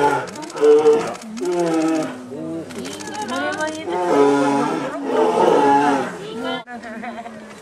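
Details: Captive polar bear brothers at Obihiro Zoo, Japan, menacing each other on their first morning on public display, February 2010: a run of choppy, gurgling growls and short roaring bursts, rising into a longer harsh roar near the end.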